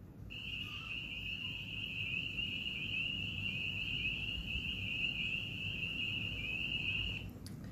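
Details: Spring peepers in Iowa in spring, small but very loud frogs calling for mates, ring out in a chorus of high, piercing peeps that blur into a steady shrill band for about seven seconds over a soft low rumble.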